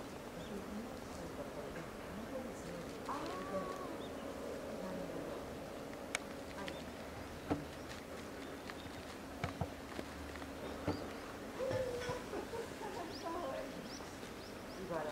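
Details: Lila, a two-year-old female polar bear at Maruyama Zoo in Sapporo, Hokkaido, Japan, on 19 January 2017, cries persistently to nurse from her 22-year-old mother Lara, both kept in a cage enclosure. Steady buzzing hum with tonal bands, broken by sharp knocks.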